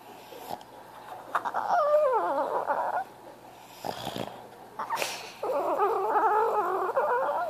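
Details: A French Bulldog cries for attention in long, wavering, nasal whines that slide up and down in pitch.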